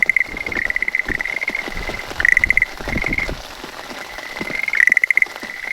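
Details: Schlegel's green tree frog perched on a calla leaf, calling once rain starts, smartphone recording; bursts of quick clicking pulses alternate with softer trills, over steady pattering rain.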